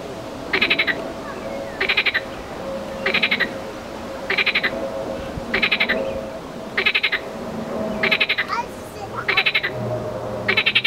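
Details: A marsh frog (Pelophylax ridibundus) gives short, rattling, pulsed croaks, repeated roughly every second and a quarter.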